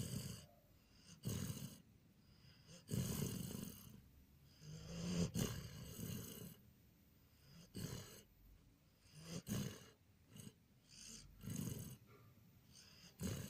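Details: A sleeping Border Collie named Jon, recorded on 14/04/2018, gives a series of irregular low, raspy snorts and snores, short bursts spaced unevenly through a quiet indoor setting.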